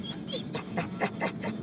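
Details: Dog named Denali riding in a car, hoping for a trip to the dog park, gives short breathy whimpers and pants, about five per second, with a faint high whine over road hum.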